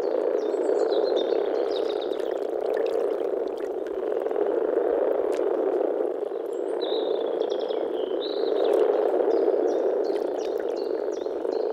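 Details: Spring frog chorus from a Czech pond or wetland, many frogs croaking together in a thick, rapid rolling murmur that swells and eases, while birds chirp and whistle overhead.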